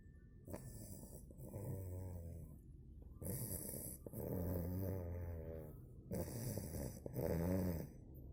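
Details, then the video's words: A sleeping two-month-old Cane Corso puppy named Bogemia snores steadily. Each drawn-out, throaty rumble lasts about a second or more, alternating with softer inhaled wheezes in a slow, regular rhythm. "Щенок кане-корсо 2 месяца храпит"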